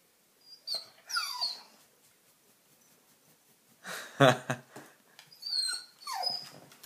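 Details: A one-year-seven-month-old German Shepherd that wants to go out and play whines indoors. A few short falling whines come first, then a rough, breathy burst, then more downward-sliding whines near the end.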